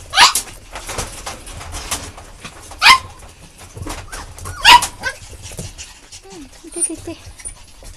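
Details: Several puppies yelping: three loud, sharp, high-pitched yips spaced a couple of seconds apart, with softer squeaks between and brief low wavering sounds near the end.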